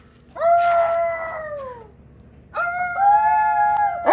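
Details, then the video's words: Alaskan Malamute Tonka greeting his visitors with two drawn-out howls: the first slowly falls in pitch and fades, then after a short silence a second, steadier howl holds level before breaking off abruptly. "Malamute Has Company & They Have A Howling Good Time!!"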